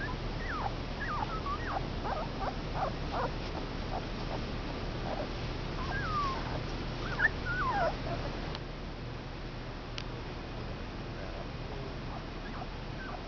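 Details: Two-week-old Komondor puppies, five males, whimper and yip in a busy run of short high squeaks, some rising then falling, thinning out toward the end over constant low background hum.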